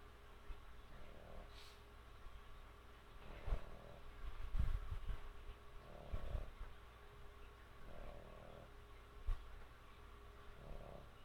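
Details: Sleeping dog named Sammy snoring steadily, each rough, low snore recurring roughly every two to three seconds, with a faint constant electrical hum and a few small knocks in the background.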